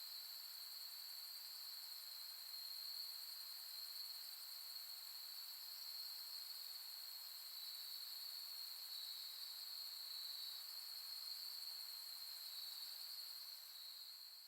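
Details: Autumn insect chorus at Soni Highland, Nara, Japan, end of August 2021 under a starry sky: steady piercing trills holding one high pitch, a brief extra callers' overlap midway, fading slightly at the very end.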